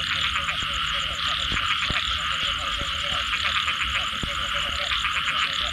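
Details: Frogs calling after rain in a dense, continuous chorus: rapid overlapping pulsed croaks and trills repeating throughout, with high ringing notes above and occasional sharp clicks, and no gaps of silence.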